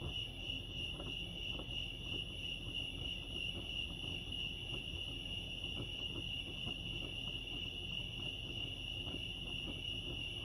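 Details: Lake Arrowhead crickets in California sustain an even, shrill, unbroken chirping drone over about ten seconds. Gentle low-frequency rumble and light clicks run beneath it.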